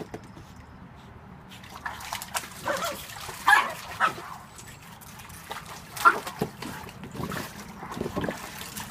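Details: Pug riled by a toy shark, letting out brief gruff barks around the middle, a louder one near six seconds, amid sloshing and scuffling sounds.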